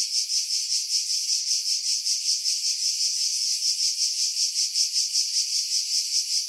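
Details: July 2018 on Skiros Island, Greece: cicadas in pines roughly 50 m above the sea produce a bright, sizzling buzz that swells and fades in regular beats about two and a half times per second, with no other sounds after wind filtering.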